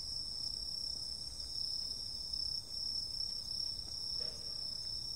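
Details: Night insects in summer giving a constant thin, very high-pitched buzzing trill, even and sustained, with a faint low-frequency rumble beneath.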